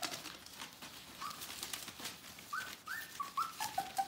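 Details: Bohemian Shepherd puppies from the "F" litter, nearly four weeks old, giving short high squeaky whimpers that rise and fall in a quick run of about six notes in the second half, over soft tapping and clicking.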